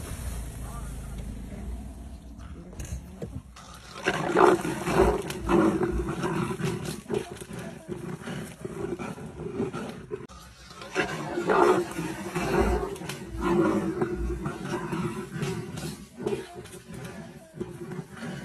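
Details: Two rival leopards fighting in a tree over a fresh kill at Singita Sabi Sand, with four leopards present; bursts of harsh growling and snarling rise and fade in waves, with low rumbling between outbursts and faint background noise.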